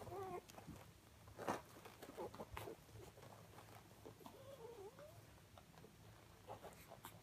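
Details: Four Siberian husky puppies at feeding time give wavering, high whines and yelps among clattering knocks.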